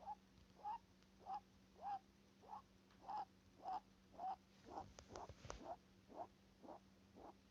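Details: Rabbit breathing through its nose: short, soft snuffling puffs repeated a little more than once a second, fairly steady, with a faint constant low hum behind and a brief rustle partway through.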